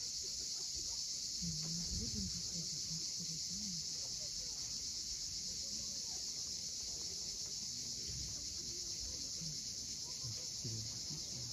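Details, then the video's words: Cicadas at sunset on the steep coast at Cape Fiolent, Crimea, giving a dense, steady high-pitched hiss with a fine pulsing texture throughout, over scattered low humming tones and soft background rumble. "Cicadas at sunset."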